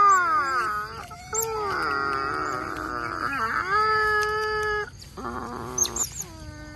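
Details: Otters waiting for a meal of mullets in the mangroves give long, drawn-out wailing whines, some held steady and others bending downward, overlapping at times, followed by quieter, wavering squeaks.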